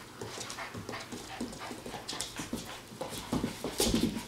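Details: Eight-week-old Standard Poodle puppies indoors, giving short high whimpers and squeaks near the end, among steady soft tapping, paw scuffling and rustling.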